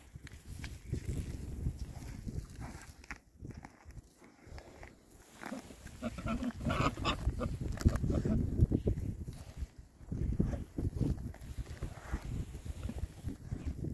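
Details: Rare breed Oxford Sandy and Black pigs, six males enjoying a winter forage between storms; steady low grunting runs throughout, rising to a busier stretch of rapid, overlapping snorts and oinks with snuffling.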